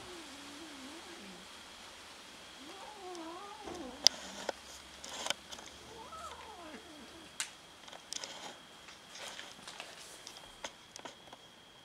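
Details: Domestic cats meowing while fighting each other over food; several wavering, modulated meows in the first half, then clicks, scuffling and thumps of the tussle.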